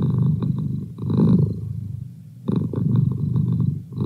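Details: Low, throaty purring from Merlin, a domestic cat, in two long breathing cycles with a soft, near-silent pause between them.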